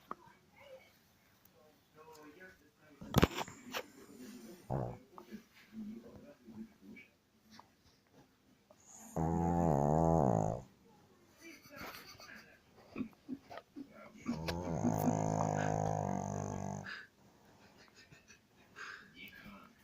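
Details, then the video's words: Dog snores twice, loud buzzy rattling breaths of about two seconds spaced some five seconds apart, after a stretch of sharp clicks and low indoor noises. "Прикол как собака храпит"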